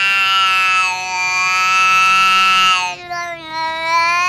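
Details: Talking cat holding a steady, bright yowl for about three seconds, then shifting to a slightly lower, wobbling tone.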